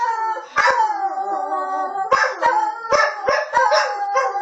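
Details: Bailey, a dog, howling in long sliding tones that waver and dip, broken by sharp clicks and yelping bursts, several overlapping voices with rich harmonics.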